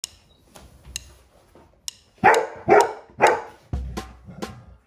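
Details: Bailey, a golden retriever, barks during a workout with its owner: three loud, harsh barks in quick succession, followed by a heavy thump and lighter taps and clicks.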